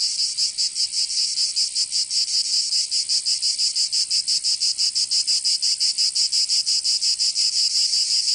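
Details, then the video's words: High, sizzling buzz of cicadas in a Provençal summer in the south of France, rising and falling in regular rapid pulses that grow slightly stronger toward the end, with nothing else audible. "Canto Cigarra 🦗 [ Escuchar les cigarras en verano"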